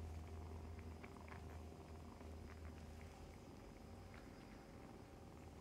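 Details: Domestic kittens in foster care nurse and play beside their momcat, giving a continuous low purring drone with soft clicks and suckling noises scattered over it.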